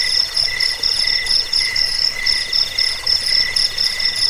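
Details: Shrill cricket chirps for chasing rats away, sleep and bird song training; quick pulsed bursts repeat about four times a second above a continuous high drone.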